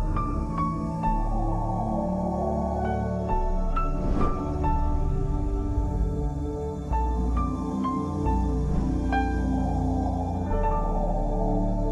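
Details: Calm ambient new-age music with sustained low drones and bright bell-like tones chiming at intervals, no animal voice heard.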